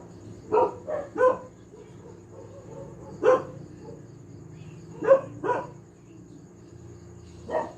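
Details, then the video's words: Family dog barking again and again, mostly in quick pairs of short barks with gaps of one to two seconds, against a low constant hum. "tahol ng aso/dog barking/the dog sound"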